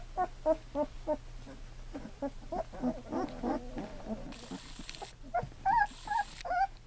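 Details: Two-week-old Golden Retriever puppies from Sadie's litter, eyes newly opened and learning to walk, give a string of short, high whimpering squeaks in quick succession, a few rising whines near the end, with soft human voices nearby.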